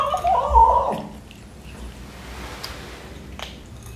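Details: A 12-week-old male British Shorthair kitten eating breakfast lets out a short, nasal, wavering mew of about a second, then faint clicks and small mouth and eating noises in a quiet small room.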